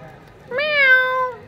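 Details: A single clear meow from a black cat, a rich harmonic tone that rises quickly, holds steady for most of a second, then fades gently.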